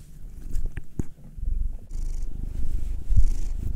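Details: Domestic cats, a nine-year-old black male and a two-year-old female tortoiseshell Munchkin, purring while being kneaded and massaged: a steady low rumbling purr that swells and fades, with a few sharp taps and soft rubbing noises near the start.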